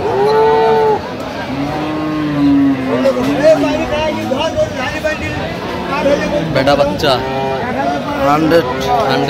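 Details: Cow at the Aftabganj cattle market in Dinajpur, Bangladesh, on 6 September 2025, where cows with calves are sold. A long, low, drawn-out moo holds steady for about two seconds, surrounded by the talk and chatter of people at the market.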